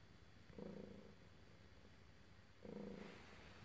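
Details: Cat being petted gives a low buzzing purr in two short pulses, one near the start and one two seconds later, with light steady hiss between them.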